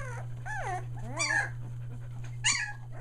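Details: Whimpering Australian Shepherd puppies, almost three weeks old, near Mooresville, North Carolina: three arching, bowed whines rise and fall in pitch in quick succession, then a short high squeal follows after a pause, with a steady low hum underneath.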